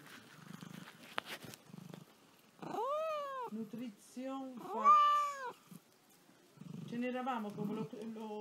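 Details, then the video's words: Restless house cat that never stops moving, uttering a run of arched, whining meows that rise and fall, some short and some drawn out, mixed with quiet Italian talk and handling sounds. "Sweet cat meowing and purring."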